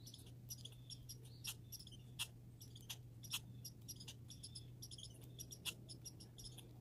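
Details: High, rapid squeaking chatter from grey and red squirrels in a backyard, short stuttering bursts of thin chirps coming several per second, a soft hum beneath.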